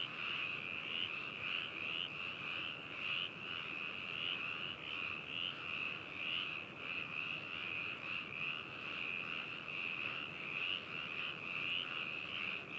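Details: Frog chorus at Hakushu in Yamanashi Prefecture, Japan, taken 4 May 2018 through a binaural microphone into a ZOOM H2n recorder; many frogs give continuous high pulsed trills that merge into an unbroken shimmering wall of sound.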